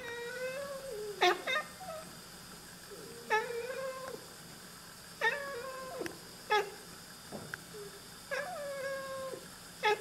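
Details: Pet Oriental Siamese cats, a pair, talking and chattering to birds inside a room: repeated brief clicky chirps alternating with longer tonal meow-like notes roughly every second, harmonic and slightly wavering, steady background hum.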